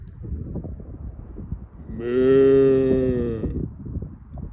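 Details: Cow giving one long, steady moo of about a second and a half, low and richly harmonic with an even tone, rising out of a constant rustling outdoor background that continues before and after the call.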